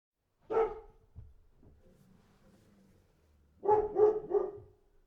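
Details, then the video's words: Dog barking: one sharp, mid-pitched bark, a quiet pause with faint low rustling, then a quick burst of three barks close together near the end. "Dog Barking"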